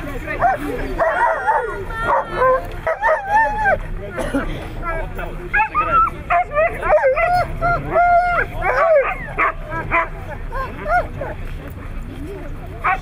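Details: Siberian Huskies at a competition held in Nizhny Novgorod on 3 February 2017: dense, overlapping yelps and whining wavering cries from several dogs, rising and falling in pitch, with people talking underneath.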